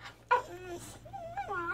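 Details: Teething Boxer puppy talking back while being scolded: a sharp yip, then drawn-out whining moans that bend up and down, with a woman's voice telling it no in Spanish around it.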